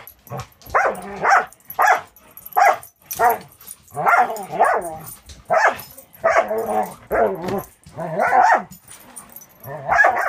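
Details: Playing with the dog Cisco, Angel, a six-month-old Border Collie mix fostered by Wisconsin Border Collie Rescue, gives a steady series of short, rough, harmonic growly barks about once a second for ten seconds.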